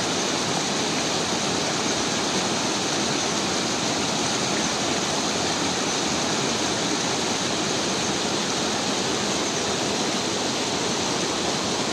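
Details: A loud, constant roar of rushing river water covers the whole stretch, with no animal voice.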